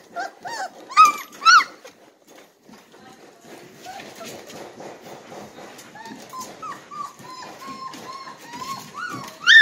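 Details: Three-week-old Red Golden Retriever puppies from one litter, ready to nurse; a few loud squeals at the start, then a long run of thin, wavering whimpers and whines from several pups, with faint background talk.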